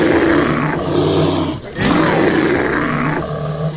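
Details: American black bear (Ursus americanus), roar.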